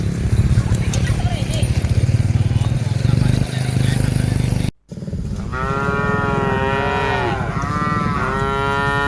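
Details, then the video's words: Herded cattle, part of a group of dozens: a brief silence after several seconds of low rumbling noise, then a string of short wavering moos rising and falling in pitch. "Suara Sapi Moo Yang Lucu"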